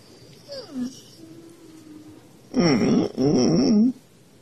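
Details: Siberian Husky waking its owner, perhaps from hunger: a faint short falling whine and a thin held tone, then a loud wavering, yodel-like howl in two quick bursts.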